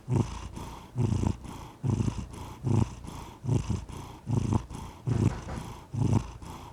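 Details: Purring cat, with strong low rumbling bursts recurring about every 0.8 seconds as the animal breathes in and out, deep and throaty, against a quiet background.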